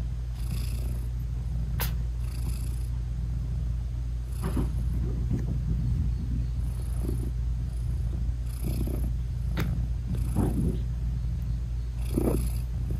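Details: British Shorthair mother cat purring while loving on her newborn kittens; a steady deep purr rises and falls with her breathing, with a few brief clicks and soft rustles scattered throughout.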